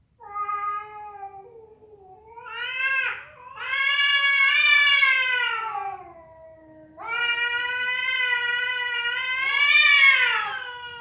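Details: Cat yowling during a fight, or a female calling for a male; long, loud, strongly harmonic wails that swell and bend in pitch, separated by brief quieter moans, with a quiet background.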